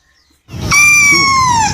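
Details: Kitten giving one drawn-out meow, harmonic and slowly falling in pitch, lasting about a second after brief silence; low background rumble underneath.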